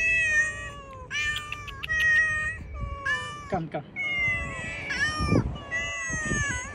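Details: Hungry cats eating cut fish outside meow repeatedly in overlapping, rising-and-falling harmonic calls, with brief low thumps and a hint of speech in the background.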